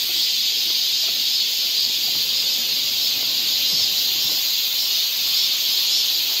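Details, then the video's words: Summer cicada chorus in a Seoul forest, Korea: a continuous shrill buzzing wall of sound, even in loudness from start to finish, with no other clear voices. "cicada sound"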